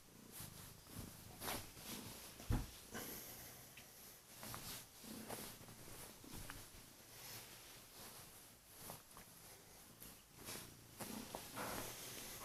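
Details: Domestic Kurilian Bobtail cat on its owner's bed in the morning, purring loudly to wake him while nibbling his hands. A steady low rumbling purr runs throughout, broken by soft rustles and clicks from bedding and movement indoors.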